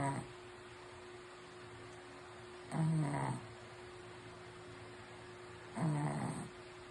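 A Shih Tzu snores in low, rumbling bursts about every three seconds.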